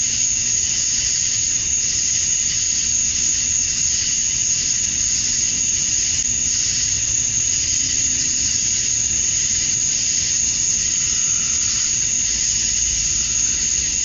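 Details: Male cicadas calling at dusk on a summer night in Georgia, USA, to attract females: a dense, unbroken shrill drone with a piercing high edge, steady in loudness throughout, with no gaps and no other clear sounds.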